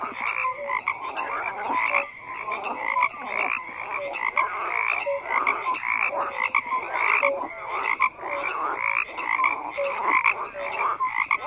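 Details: Numerous frogs calling at once: rattling, grating croaks overlap densely while short whistly notes recur, the chorus staying loud and even.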